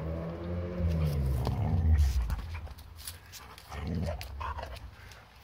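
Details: Scout the dog over a zucchini treat in summer: a deep voiced growl that rises in strength and then drops away, with a second shorter rumble later, along with soft human voices and handling noises.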